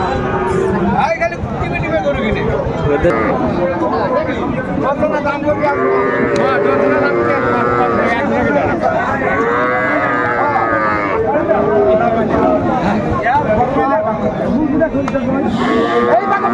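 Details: Sahiwal cattle at a Comilla livestock market, Bangladesh, 26 December 2024; repeated wavering moos from several animals overlap through the sequence, under constant crowd murmur and talking traders.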